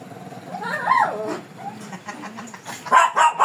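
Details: A fierce Shih Tzu under grooming gives a rising then falling whining growl, followed by a couple of abrupt barks at the end.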